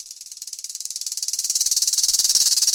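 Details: Rattlesnake tail rattle, a warning to intruders: a dry, high, hissing buzz made of rapid even pulses, about fourteen a second, swelling steadily louder over nearly three seconds with no other sounds.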